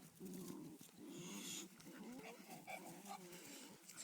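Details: Male bulldog named Earthquake asserting dominance over Xena, a female German Shepherd, showing her he is higher in the pecking order; low rumbling growl in repeated bursts, with rustling and handling noise throughout.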